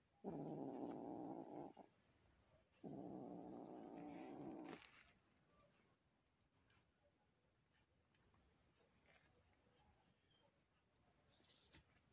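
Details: Domestic cats meeting as a new kitten joins the household and is scared of the resident cat: two harsh, noisy growling bursts of about two seconds each, then a faint, quiet room.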